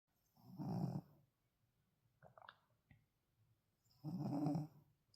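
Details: Tired Shih Tzu dog asleep indoors, snoring: two rough, low rumbling snores roughly three and a half seconds apart, each lasting under a second, with faint soft clicks and quiet breathing in the gap between them.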